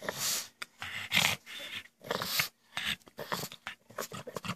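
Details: Indoor pet pug with its goblin-like noises: harsh snorting, wheezing growls in quick bursts about every half second, loud and breathy throughout.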